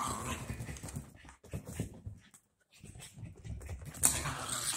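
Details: Pair of dachshund puppies at play after being bathed, giving low rumbling growls in uneven bursts, a short pause midway, then a sharper, louder burst toward the close.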